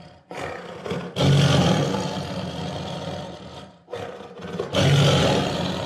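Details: A tiger, a solitary, highly territorial carnivore of Asia, gives two drawn-out roars, deep and gravelly, each swelling quickly and holding for several seconds. Brief throaty intakes precede each burst, with little else heard.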